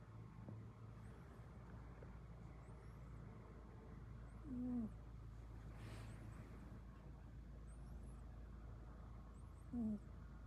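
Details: British Longhair cat snoring: two short, low nasal whistling tones about five seconds apart, each slightly falling, over a steady low background hum.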